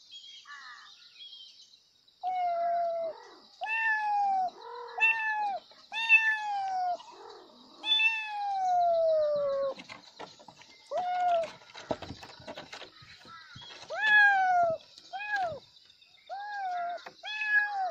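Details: Kittens meowing loudly for their mother in a run of arched, tonal cries, some long and sliding downward, others short and clipped, coming in quick succession with brief gaps and faint scuffling noises.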